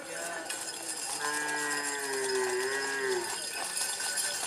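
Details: A long, wavering moo of about two seconds, sliding slightly downward, from Madura racing cattle during karapan sapi practice at Asemanis, Pamekasan, East Java, Indonesia. Loud hiss, crowd noise and metallic clinking are heard around it.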